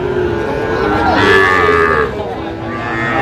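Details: Sahiwal cattle at Aftabganj cattle market on Saturday, 16 August 2025, where bull calves are being sold: one loud, drawn-out harmonic moo lasting under a second amid market chatter and background crowd noise.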